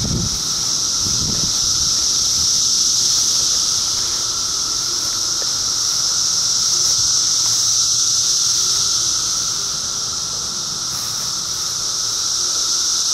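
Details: Cicadas of 2013 fill the air with a steady piercing drone that rises and falls gently in volume, with a short low thump at the very start.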